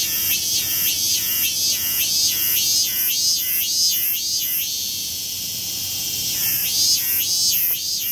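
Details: Cicadas in Tokyo, where millions fill wooded areas around temples and shrines, make an infernal noise: a dense, high, shrill buzzing chorus that swells and pulses in repeated waves almost twice a second without pause.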